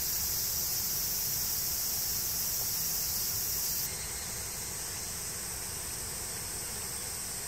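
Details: Cicadas in summer heat in woods beneath the Yoro Mountains on Japan's Tokai Nature Trail: a steady, high, hissing drone that holds without a break, its tone shifting slightly partway through.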